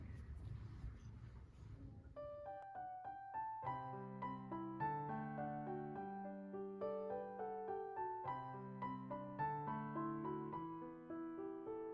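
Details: Gentle piano music plays in repeated chords and melody after a brief muffled rustle at the start.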